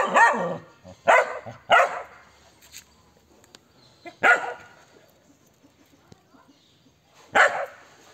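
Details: German Shepherd x Belgian Malinois mix giving aggressive barks: a quick pair of harsh, broad barks, then single barks spaced by one to three seconds of quiet, with faint low background sounds between them.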